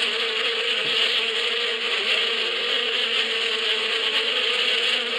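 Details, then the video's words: Bees buzzing in spring in the Badia countryside: a steady, dense hum with a low drone and bright upper overtones, unbroken for the whole stretch, no other sounds standing out. "اصوات النحل في فصل الربيع"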